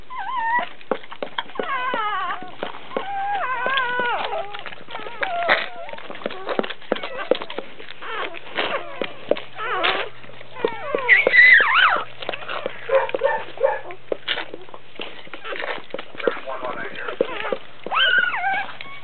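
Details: Dobermann giving birth as a puppy is born: a busy run of high, wavering squeaks and whines, many rising and falling quickly, packed closely together over a steady low hum.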